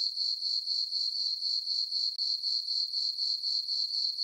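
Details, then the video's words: Night-time summer crickets on a farm meadow under the full moon: piercing, evenly pulsed chirping at about four pulses per second, interrupted by a very short silent gap partway through. "Cricket chirping sounds for sleeping"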